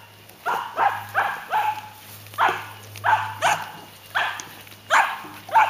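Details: Seven-week-old puppies of Lani, a dog, playing with the adult dogs: a lively run of about a dozen short, sharp yapping barks in uneven bursts, some doubled, over a steady low hum.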